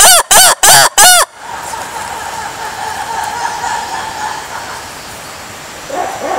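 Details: Lemur giving four loud, ringing, arched yelps in quick succession, followed by quiet background hiss with a faint low call at the close.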